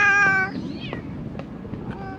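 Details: A stray cat surviving amid thrown-away rubbish utters one short, clear meow at the start. It fades into quiet rustling and low background hum.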